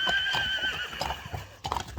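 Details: Friesian horse at a stable, with the horses just brought in: a brief whinny of steady, held tones lasting under a second, followed by scattered hoof knocks and stable clatter.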